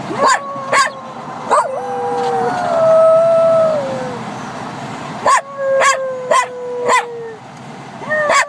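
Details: A Jack Russell Terrier, newly discovering he can howl while copying his owner's howling, gives long, wavering howls that slide slowly downward, broken by short sharp yips.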